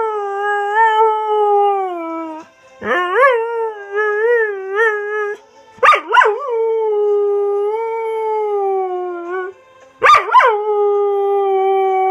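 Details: A Border Collie sings along to his favourite song, "Unchained Melody", howling in long, wavering, tonal notes broken by sharp yelping rises.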